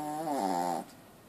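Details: Kitty, a Shih Tzu, snoring: one drawn-out, whistling nasal snore under a second long, its tone stepping downward before breaking off into quiet room hush.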